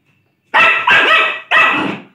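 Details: A Lhasa Apso barking while playing: after a brief silence, three loud, harsh barks, the first two close together and the third after a short gap.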